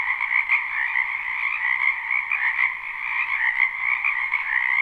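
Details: Many frogs croaking in a wetland behind a house in spring, a live unlooped recording: a dense, steady chorus of rapid trilled croaks overlapping without pause, bright and mid-pitched, no other sounds.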